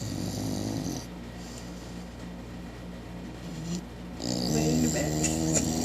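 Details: Bo, a four-month-old Cane Corso puppy, snoring while lying on the floor in the back; low rhythmic rumbling breaths under a steady background hum, with a louder rasping snore toward the end.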